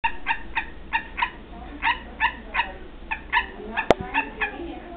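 Barking tree frogs giving short, hollow, harmonic barks in quick, uneven succession.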